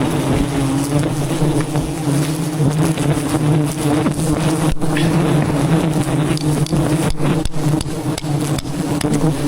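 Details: Wild bees swarming at a giant hive high in jungle trees, disturbed during honey hunting; a dense, steady low hum with layered droning tones, broken by sharp knocks and tapping.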